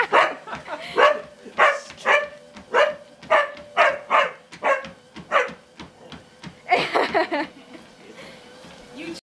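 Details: Dog at home barking nonstop at the owner's mother exercising on a treadmill; a rapid series of about fifteen sharp barks, roughly two per second, ending in a burst of yips, over a steady mechanical hum.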